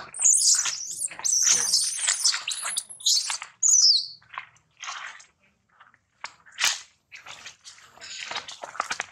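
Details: Infant monkey taken away from its mother, screaming loudly to call her back; intense shrill screeches open the recording, then fade into sporadic, weaker cries separated by brief silences.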